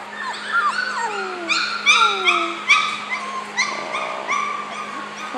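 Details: Several four-week-old male puppies, just woken from sleep, giving a rapid chorus of high whimpers and yips, some calls sliding downward, short squeaky notes repeated about two or three per second.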